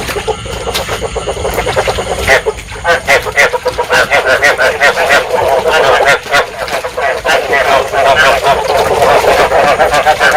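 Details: A chorus of field frogs, played to lure frogs into traps and said to stimulate breeding, in Vietnam. Many quick, nasal, pulsed croaks overlap into a steady churning racket. The calling is sparser near the start, then fills in.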